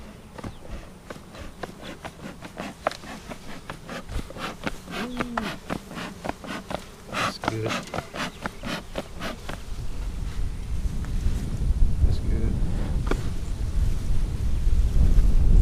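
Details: Honey bees during an April 15, 2017 hive inspection of a colony split on March 4; sharp wooden clicks and knocks from handling frames dominate early, then a low, dense humming buzz swells steadily louder over the final seconds.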